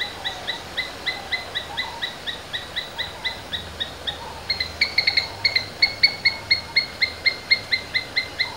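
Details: Rapid, piercing chip-chip calls from a domestic Asian palm squirrel, about four per second, getting noticeably louder and sharper halfway through, with a low steady hum underneath.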